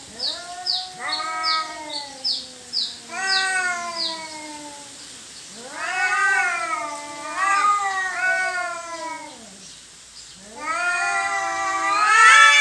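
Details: Domestic cats fighting over territory: long, wavering yowls that rise and fall in pitch, several drawn-out howls overlapping, with quick high chirps near the start and a louder, harsher yowl at the end.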